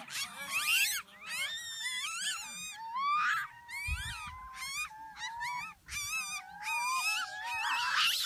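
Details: Gelada baboons at Chenec campsite in the Simien Mountains: a dense chorus of loud, high, wavering harmonic cries and yelps. Overlapping calls rise and fall in quick bursts, with brief pauses between groups.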